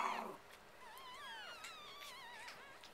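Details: Young female Biewer Yorkshire Terrier puppies from an all-girl litter give high, wavering whines that rise and fall in thin, drawn-out cries.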